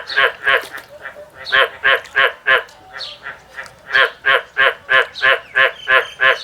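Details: Farmed frogs calling back to a person who makes sounds at them: loud, rough, harmonic croaks repeated about three times a second in fast steady runs, with a human voice mixed in.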